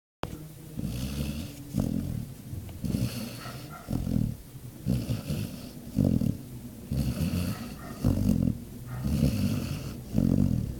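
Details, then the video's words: Domestic dog fast asleep, snoring: low rumbling breaths repeated roughly every second, each swelling and fading in an uneven rhythm, with some throaty growl-like texture and no other sounds. "Naia Roncando"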